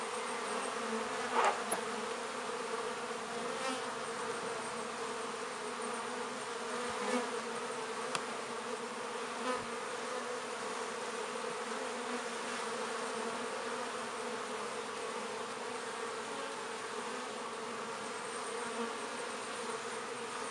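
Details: Honey bees busy at a hive entrance in a north London apiary on a midsummer day, very active bringing in pollen and nectar; a steady dense hum with layered droning tones and a few brief louder buzzes of bees passing close.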